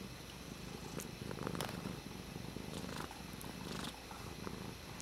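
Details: Domestic cat purring while playing with a water bottle lid indoors: a steady low rumbling purr throughout, with scattered light clicks and taps from the lid.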